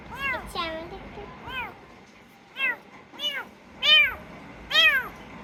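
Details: Rescued kitten meowing indoors: about seven short, high arched mews, each rising then falling, some clustered close together and others spaced by a second or more, with a faint background hum.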